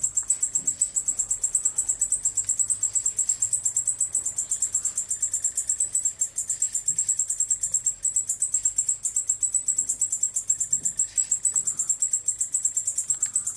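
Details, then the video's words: A male white-faced bush-cricket (Decticus albifrons) sings a steady, very high, dry ticking buzz in fast regular pulses. "Dettico maschio che stride - Male Katydid singing"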